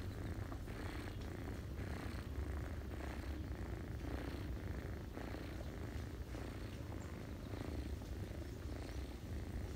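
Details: Ginger mother cat purring while feeding her kittens, the family resting on a person's knees in autumn; low rumbling purr with rhythmic swells about every half second, with faint steady background hum.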